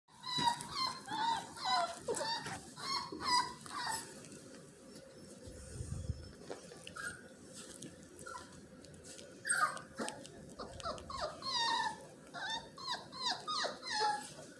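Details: Miniature Australian Shepherd puppies indoors give a busy string of high, thin whines and squeaky yelps, often overlapping, with a brief quieter pause in the middle before the whimpering resumes.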